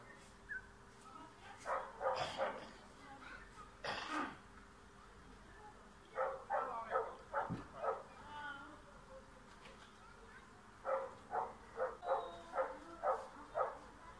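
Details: Yard dog in Bulgaria trying to drive off a cat barks in rapid runs of five or six sharp yaps, pausing between volleys, with a faint steady hum underneath.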